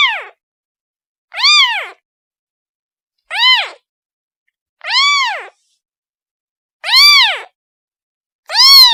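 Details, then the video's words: Kitten calling for its mother: six clear, arched meows with strong harmonics, each rising then falling, spaced about every one and a half to two seconds, with silence between them. "The sound of a kitten calling its mother"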